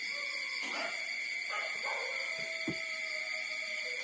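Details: Four-day-old street puppies nursing from their mother: thin, high whimpering squeaks, one drawn into a level whine lasting about a second, under a constant shrill tonal hum.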